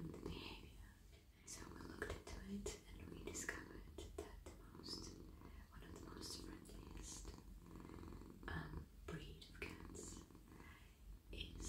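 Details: Soft, friendly male cat being stroked in a lap indoors, purring steadily: a deep, even rumble running throughout, overlaid by gentle whispered speech and brushing, scratching sounds of hands moving through fur.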